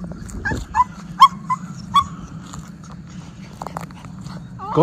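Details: Miniature Schnauzer brothers let loose outdoors in spring, April 18, 2024, in Aroostook County, Maine, after snowmelt left the ground wet and muddy; about five short, high, whiny yips come in quick succession over the first two seconds, above a steady low rumbling background.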